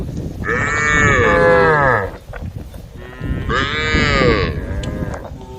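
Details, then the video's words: Tame female cows calling the herd: two loud, rich, drawn-out moos about two seconds apart. Each sweeps slightly in pitch, over a rough, noisy background. "the sound of cows calling the herd"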